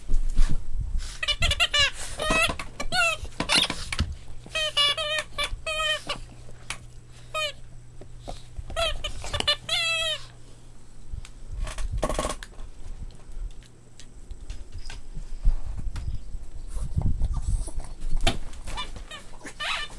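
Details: Playing Boston Terrier puppies squeak and yip in clustered bursts during the first ten seconds, then mostly rustling and bumping with a faint steady hum and an occasional squeal near the end.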